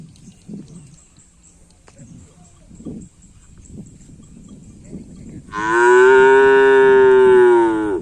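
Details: Cattle at karapan sapi (bull race) training on the Asemanis field in Pamekasan: after about five seconds of low rumbling and scattered thuds, one loud, sustained, harmonic moo lasts roughly two and a half seconds, holding steady before dropping slightly at the end.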